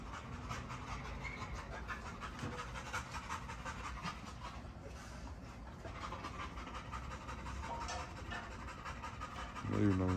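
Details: Big female Great Dane by a fence, panting steadily in rapid rhythmic breaths while a man's voice talks over parts of the recording, with a low rumble underneath.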